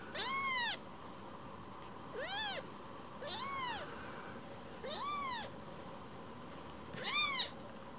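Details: Baby rescue kitten seeking affection after briefly walking away from its carer; five bright, arched meows at irregular intervals, some louder and longer, others brief and softer, in a quiet home.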